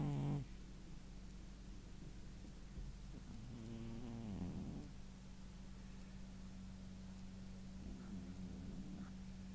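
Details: A male domestic cat, worn out after running around, snores in its sleep: a low, steady droning hum throughout, swelling into a louder rasping breath around the middle and again near the end, with a brief bump at the start.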